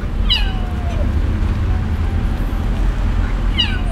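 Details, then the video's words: Crying of a kitten abandoned on the street: a falling meow that trails off into a long drawn note, a pause filled with traffic hum, then a second sharp descending mew. "Abandoned Kitten Crying At The Street"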